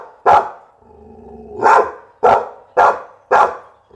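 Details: Pit Bull dog barking in loud, sharp single barks spaced irregularly, about five across four seconds, with a low rumbling hum between barks.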